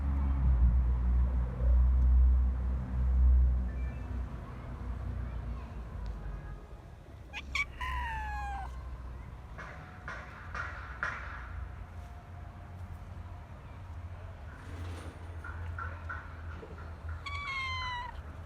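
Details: Stray cats in parks and streets, with a few falling harmonic meows around 7.5 and 17.5 seconds and fainter mews between, over heavy low rumbling noise at the start and background sounds.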